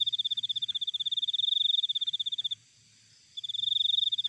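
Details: Cricket in nature, a piercing rapid-pulse trill running about two and a half seconds, a short silence, then the trill resuming; quiet low-pitched background murmur throughout.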